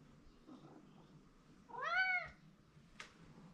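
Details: House cat Mike calling for his owner's attention inside a room: one drawn-out meow rising and sinking again, followed by a brief click, against a low background hum.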